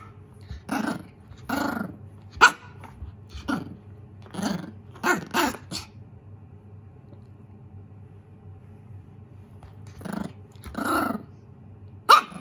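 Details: Mame shiba puppy named Koro, scared yet threatening a lint roller it plays with, gives short gruff barks and growl-barks in two bouts, about eight in the first six seconds, then three more near the end after a quiet gap.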